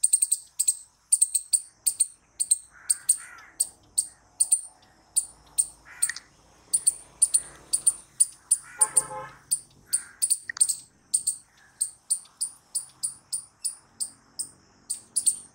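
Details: Squirrel chirping steadily and loudly, sharp high notes repeated about twice a second, sometimes doubled, with occasional lower background sounds mixed in.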